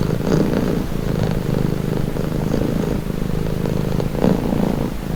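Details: Close, steady purring from a pet cat: a deep, rough, throbbing hum that alternates between slightly louder and softer breath cycles, with nothing else audible.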